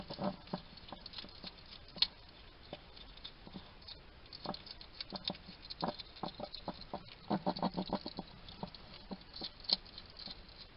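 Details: Somerset garden, UK: a wild hedgehog muttering as it feeds, giving steady crunchy clicks and wet smacks that cluster into a dense flurry around the seventh and eighth seconds, over a faint background hiss.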